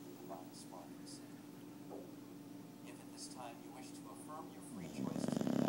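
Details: Two-year-old rescued Boxer asleep while being treated for heartworms, giving a low droning snore with rapid fluttering rattle, building into a loud buzzing snort at the end; faint human voice in the background.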